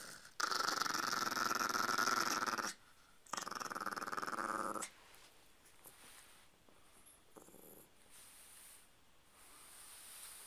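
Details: Domestic dog, one of a chihuahua puppy and a pitbull-chihuahua mix called Mimi and Mia, gives two harsh, throbbing growls lasting about two seconds each with a brief gap, followed by quiet room sound and faint rustling.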